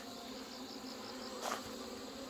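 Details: Honey bees being combined after hornet attacks and failed mating, Chuseok morning in Korea: a constant droning buzz with a faint pulsing high tone and a short loud rustle of handling halfway through.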